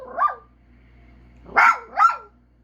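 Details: A dog gives a single drawn-out bark that falls in pitch, then after a pause two louder arched howl-barks in quick succession, over a low hum.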